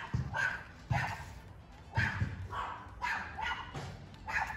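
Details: Alaskan Malamute defending his territory as another dog appears, giving loud deep barks roughly once a second in a steady series, with low rumbling background noise.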